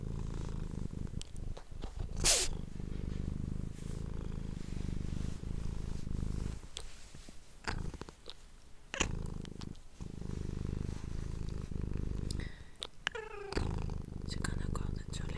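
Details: Purring pet cat recorded on an ASMR microphone, a deep pulsing rumble broken by repeated pauses, with loud rustles, clicks and handling noises scattered through, plus a short higher squeak near the end.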